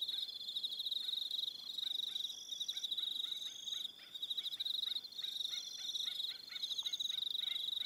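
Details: Aroha Island, New Zealand, in the evening: a continuous high, rapidly pulsed cricket trill with brief lulls, while a regular series of sharp lower clicks or knocks, about two to three per second, runs through much of the recording.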